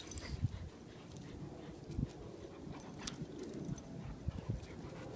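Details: Lab/Golden mix and Husky/German Shepherd mix dogs at tug-of-war play, giving deep, quiet growls and huffs in short pulses, with faint rustling and clicks in the background.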